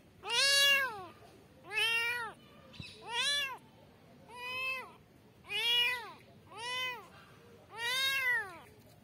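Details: Kittens meowing for their mother, a steady series of six high, arched mews, each under a second long and repeated roughly every one to two seconds, with strong harmonics and a quiet indoor background.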